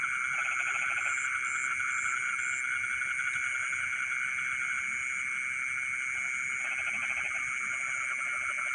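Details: Frogs singing in rice fields in the middle of the night: bursts of rapid pulsed croaking that come and go, over a constant high insect whine and faint pulsed chirping higher up.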